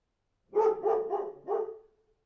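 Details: Dog giving a rapid run of four barks within about one second, each loud and harmonic, the last trailing off slightly.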